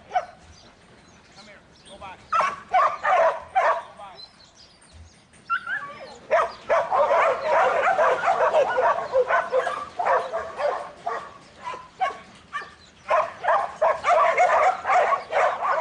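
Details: Buttons, the young male Border Collie in training for a 2012 futurity, gives scattered barks, then a long burst of continuous, rapid barking, easing into spaced barks with short pauses.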